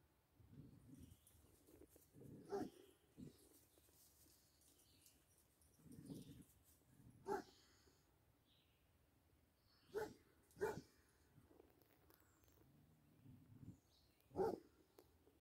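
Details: Basset Hound playing with a deer, giving about five short, sharp barks spread across fifteen seconds. Soft low rumbling and murmuring sounds fill the gaps between them.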